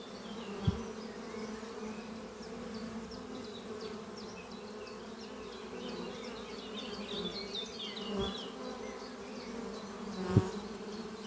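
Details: Spring morning at a thriving honey bee hive set under trees, workers flying in and out carrying pollen. Continuous deep humming drone, a few sharp knocks, and many faint high chirping notes scattered above the buzz.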